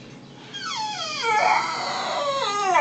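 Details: Brutus, a pet dog at home, whining and being a baby: one long high whine that slides steadily downward in pitch, with a rich harmonic tone, swelling louder midway and then rising again at the end.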